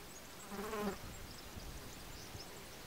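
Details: Small Mediterranean bee, Lasioglossum albocinctum, foraging on Scabiosa columbaria flowers: one brief buzzy hum with layered harmonics, lasting under half a second, then a quiet hiss of background.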